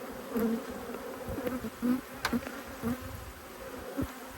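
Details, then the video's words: Two honey bee colonies annoyed by an inspection, Australia, March 2022. A dense, even wing hum runs throughout, with close individual bees swelling past every second or so and a few crisp clicks. "When Bees Go Wild - Inspecting Two Angry Hives"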